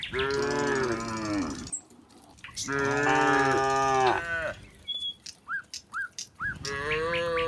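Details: Herd of tame cattle leaving the barn for green pasture, calling back and forth: three drawn-out, rich moos, the middle one longest, with a pause between holding quick, rising bird chirps.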